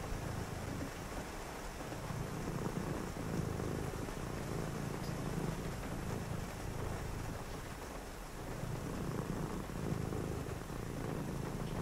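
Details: Low rumbling purr from a cat resting during a cozy rainy-night reading, pulsing gently with its breathing, with continuous rain hiss and a faint tap or two.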